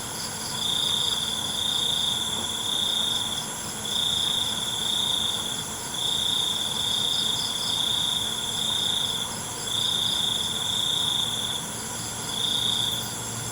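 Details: Crickets at night: a steady high, shrill trill swelling into bursts of about one to one and a half seconds, repeated roughly every two seconds, over a faint hiss of other insects.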